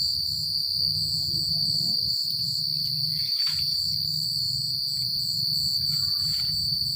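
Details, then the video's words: Crickets chirping at night in a secluded countryside setting: a steady, unbroken high-pitched trill with a faster pulsing layer above it. A low rumble, like soft wind, runs underneath, and brief faint chirps from other insects appear. "The Sound of Crickets at Night"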